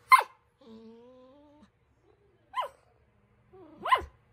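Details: Poodle puppy Cookie, playing for attention, lets out a sharp short bark, then a thin steady whine. Two more clipped barks follow in a quiet room.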